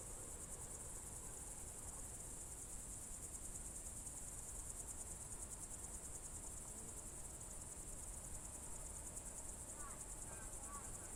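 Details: Evening chorus of crickets in June 2023 at Novye Buregi, Novgorod region: a continuous shrill buzzing trill of rapid even pulses, with faint brief bird chirps near the end.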